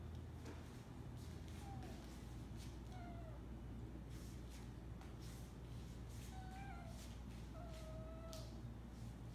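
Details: Pet Siberian cat meowing for food in the morning while being teased with her meal: several drawn-out, rising then falling meows at irregular intervals, a few higher and shorter, over a steady low indoor hum.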